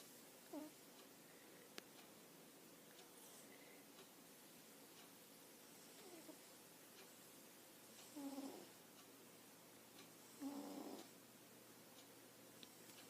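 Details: A sleeping pet cat snoring softly indoors: quiet breathy snores with a faint low tone, two clearer ones near the end, spaced several seconds apart over a low steady background hum.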